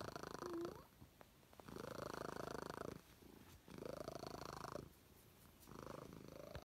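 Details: Domestic cat purring loudly, a rumbling, buzzy purr that rises and falls in long cycles of about one and a half to two seconds, with quieter breaths between louder stretches, in a quiet room.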